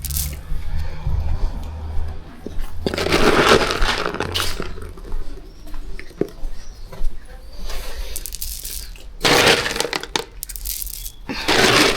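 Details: Indoor bursts of rustling, cracking and breaking noises mix with low hum and scattered speech, with no clear animal call.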